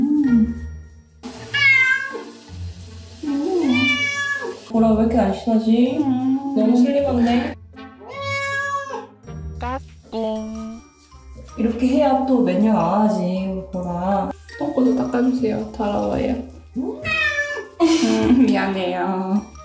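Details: A rescued former stray cat, getting its first bath after two years, gives loud, drawn-out meows, rising and falling, one after another.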